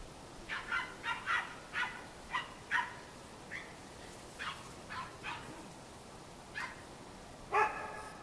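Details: Cairn Terrier puppies at a breeding kennel in Escaudes, France, giving a run of short high yapping barks, about a dozen spaced roughly half a second to a second apart, ending in a louder bark; faint background hiss.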